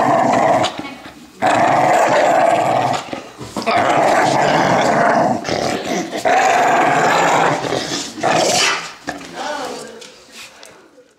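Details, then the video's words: Animated pit bull wrestling a toddler for stuffed toys, rumbling out long harsh growls in several sustained bouts separated by short gaps, fading away at the end; light household voices behind. "Noisy Pit Dog vs Toddler"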